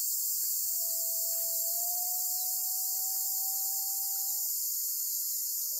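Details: Black cicada in the grip of a golden-web spider, Amami Oshima: a loud continuous shrill buzz holds steady from start to end, over a faint level tone that slowly climbs for several seconds.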